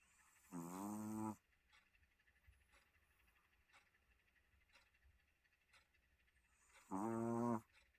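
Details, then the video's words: Maltese dog snoring in its sleep: two loud, rough, buzzy snores with stacked harmonics, each lasting under a second and about six seconds apart, with faint breathing between them. "SUNNY 코골이 써니"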